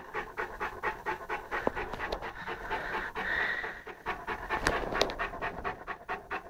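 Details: Saint Bernard Lara, an 11-month-old puppy, playing with a pygmy rabbit; fast rhythmic panting, roughly two breaths a second, somewhat uneven, with a few sharp clicks and knocks.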